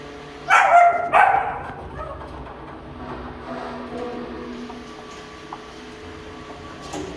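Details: Female German Shepherd puppy of show quality, sired by the imported Leader vom Radhaus, gives two sharp, loud barks in quick succession near the start, then only a low steady hum and faint background noise follow.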